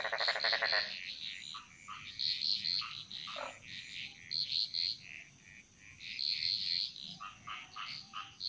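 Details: Wild frogs chorusing through a Bali jungle; a loud pulsed rattling croak opens, then many overlapping short chirps and high tinkling notes from several callers against a steady high insect hiss.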